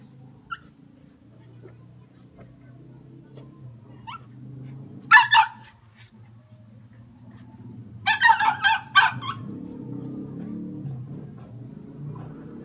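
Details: Hunting Jack Russell Terriers give two short clusters of sharp barks, a pair around five seconds and a rapid run of four or five near eight seconds, amid quiet rustling and a low steady hum.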